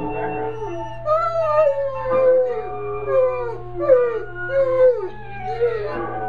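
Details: Buckley, a dog practising howling, gives a series of arched howls, each rising then falling, repeated about once a second, with a low steady hum behind.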